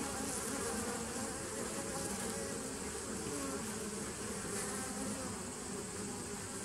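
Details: Honey bees at a 2017 nuc, recorded 27 September 2018: a steady, dense hum of many wingbeats with no break, layered with a bright hiss in the upper range and a low rumbling undertone.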